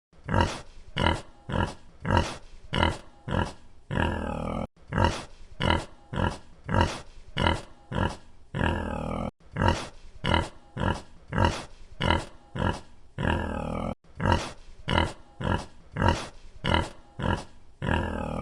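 A pig grunts in quick, rough bursts, each run ending in a longer, squealing snort.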